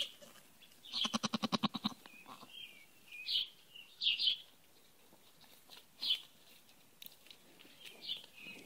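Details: Newborn buckling, a Nigerian Dwarf and fainting goat cross, giving a rapid trembling bleat followed by several short, thin, high squeaky cries spaced about a second apart in a quiet setting.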